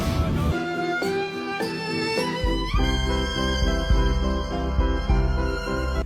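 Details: Loud bowed-string music with piano-like chords throughout, and no animal voice.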